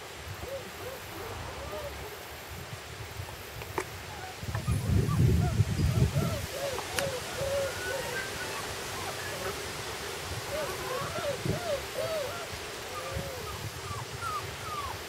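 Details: Puppies on their first day outside whimper: many short, thin, curving squeaks repeat in a steady stream, with a brief low rumble of handling noise partway through and faint voices.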